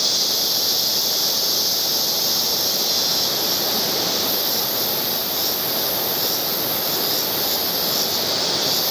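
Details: Cicadas sing in the background with a continuous piercing drone. The highest band brightens partway through and stays strong, over a broad, even hiss.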